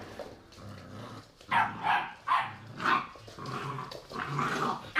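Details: Three-month-old pit bull puppies playing indoors in an apartment, 2017: a run of short, rough barks and growly yaps, about four sharp bursts a second apart, then a longer grumbling bark-growl as the play continues.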